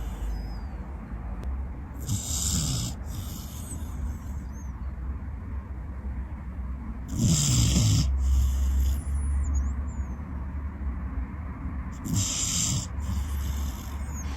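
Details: Pet Corgi that climbed onto the sofa at nap time and fell asleep on a hand, snoring hard: three loud, hissing, rumbling breaths about five seconds apart, the middle one the strongest, with a soft hum in between.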